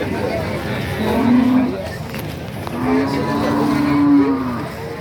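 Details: Cattle at the Nganjuk cattle market (Pasar Pahing), East Java; two low, flat, prolonged moos, the second longer, sound through steady crowd noise.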